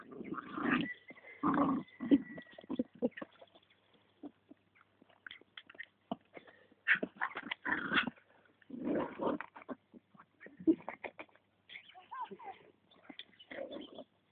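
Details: Jack Russell Terrier named Willow, a small excited dog attacking the poles during an Appaloosa jumping lesson; bursts of yapping barks and whimpers come in clusters over about fourteen seconds, with quieter gaps between.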